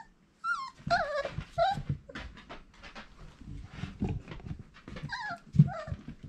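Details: Four-week-old Irish Setter puppies from the litter of Grit and Cain give a burst of thin, wavering high whines in quick succession, a pause of scuffling and thumps, then two more falling whines near the end.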